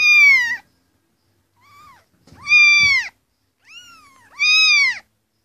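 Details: Kittens meowing for attention from their owners: loud, high arched mews alternating with softer shorter ones, about five calls in quick succession.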